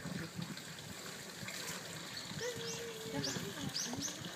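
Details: Asian small-clawed otters at a zoo, January 2013, squabbling over something, give a drawn-out whine, then several quick, high squeaky chirps, over splashing water and background voices.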